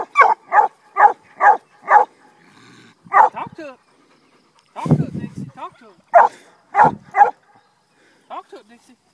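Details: Two Redbone Coonhounds, aged seven and eight months, working a raccoon. They give bursts of loud barks, five in a quick run and then several more, broken by a man's voice.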